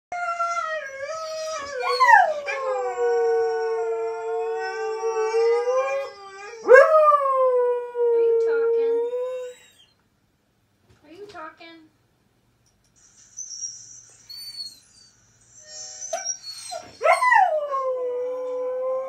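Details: Onix the husky singing with friends from Gone to the snow dogs: long sustained howls with rich harmonics, some sliding upward at the start then holding steady, several overlapping voices, a pause midway, then renewed howling.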